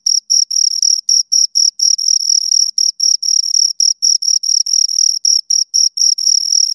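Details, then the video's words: Close chirping of two crickets, bright high trill chopped into short bursts roughly every quarter second, some bursts run longer; no background noise. "Two Crickets Chirp Sounds"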